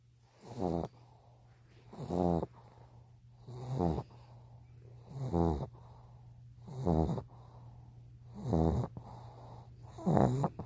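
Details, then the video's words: Sleeping with open eyes, the dog Peter gives a regular run of seven rough, buzzing snores, evenly spaced about every one and a half seconds, with quiet pauses and a constant low background hum. "눈뜨고 코골이 소리내는 강아지 피터"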